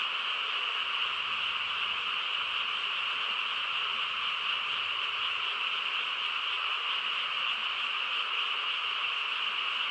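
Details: Countryside frog chorus at night, quiet surroundings: many callers merge into a continuous shimmering trill, steady in pitch and loudness for the whole stretch, with a single brief high click near the middle.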